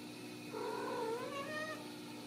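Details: Ragdoll kittens raised in a home cattery in central Kansas without cages; one drawn-out mewing call rising then gently falling over about a second, with a steady low hum underneath.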